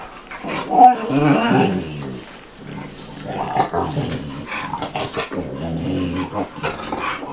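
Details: Bubba, a 2-year-old American Bulldog, and Ruby, a 5-month-old Dogue de Bordeaux, at play together indoors, giving loud throaty play growls in irregular bursts with heavy breathing between them.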